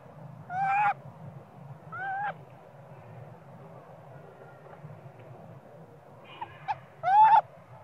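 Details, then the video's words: Spoiled young monkey screaming for mother monkey Popeye to give it milk, perhaps hungry. Several short tonal wails, each bending up then down, come in bursts about a second apart at first, then a gap and two closer cries near the end, over a low steady hum. "Small spoil monkey cry & screaming coz he need mom monkey popeye"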